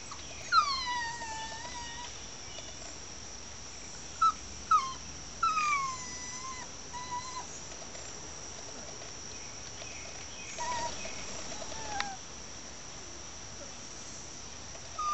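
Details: Chihuahua Fini whining outdoors while kept inside a fence, apart from her owner: a few high, thin whimpers falling in pitch, clustered early and near the middle, with a steady high insect hum throughout.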